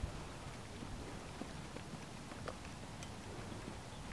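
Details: Teddy, a Large Welsh Pony gelding born in 2003, ridden by a youth rider new to him and urged into a canter; faint, irregular hoofbeats thud through steady outdoor hiss, with a rider's instructions heard around them.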